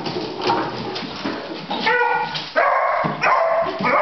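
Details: Echo, a 9-month-old beagle puppy terrified of baskets, gives harmonic, drawn-out baying barks in the second half, preceded by human speech and household noise.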